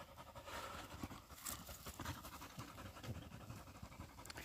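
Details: Husky panting as it tracks a pregnant deer through mountain woods in South Korea, the dog bloodied; quick, rough, breathy pants run in a dense, steady stream at low volume, with faint rustling underneath.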